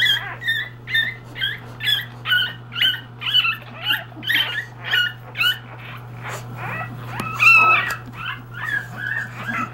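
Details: English Bulldog puppies only 3 days old squeal in rapid, high, repeated bursts as they seek their mother's affection.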